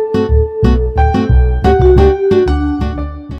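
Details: Bouncy keyboard and electric piano music plays in short rhythmic chords over a bass line, with no animal sound heard.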